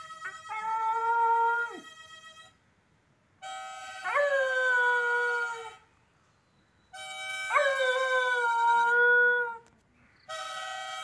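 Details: A dog in Kerala howls along to a mouth organ in long, wavering notes that swoop up, then slowly sag.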